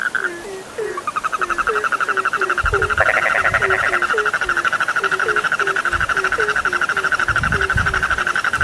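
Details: Frogs calling in a chorus used to lull sleep: a fast run of short, falling croaks about three per second, steady shrill trilling above, and a few dull low thumps partway through.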